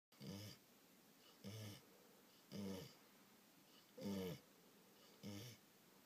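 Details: Sleeping English Springer Spaniel snoring indoors after a rough day of eating lots of food and playing with children; five rasping, wheezy snores roughly every 1.3 seconds, each a low rumble with a breathy hiss.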